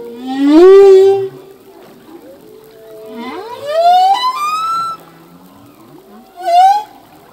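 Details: Ocean recording of a male humpback's song, which changes from year to year: a rising whoop, a long steady moan, a climbing series of harmonic-rich upsweeps in the middle, and a brief bright chirp near the close.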